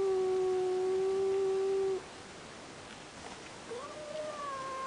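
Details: Cat watching a rival cat through a window, holding a steady low yowl for two seconds, then a quieter rising wail after a pause over faint background hiss.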